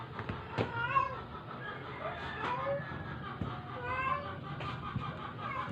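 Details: Sick, dying stray cat being force-fed to survive; several faint, short meows with wavering harmonic tones come at irregular intervals over steady background hum and low noise.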